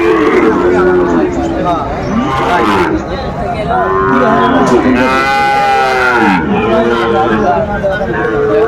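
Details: Sahiwal bulls and bull calves at a cattle market in Comilla, Bangladesh, on 17 January 2025: several deep, drawn-out moos with rising and falling tones overlap one another, mixed with constant chatter from the crowd and men talking nearby.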